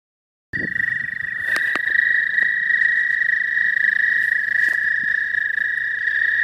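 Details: Frogs giving the first calls of spring at a pond, early arrivals before the full season's chorus, recorded on a new phone: a steady, dense high trilling drone, unbroken after a short silent start, with faint low rumble beneath.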